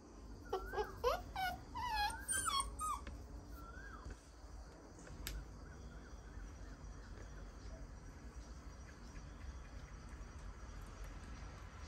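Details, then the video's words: Playing puppies let out a quick burst of high, wavering whimpers and yelps over the first three seconds. After that the dogs fall quiet, leaving only a steady low background hum. "Puppies playing"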